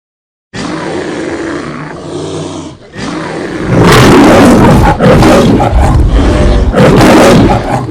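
A lion roars in deep, rough, drawn-out bursts that grow louder and harsher toward the end.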